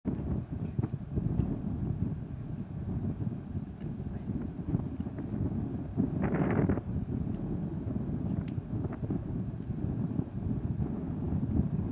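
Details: Steady low wind rumble buffets the microphone, with a brief hiss near six seconds and no animal calls.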